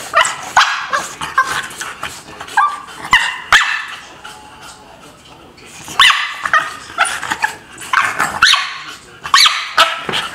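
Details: Lola the dog, kept apart from another by barriers and heartbroken, gives sharp high yelps and short barks in two clusters separated by a quieter pause.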